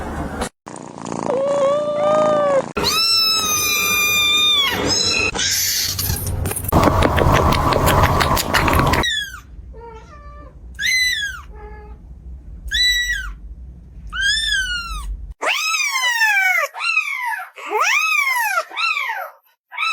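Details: Kittens calling in quick succession: a few long, level, strained meows followed by a run of short, sharp, arching mews about two per second, clear and high, with occasional background noise between cuts.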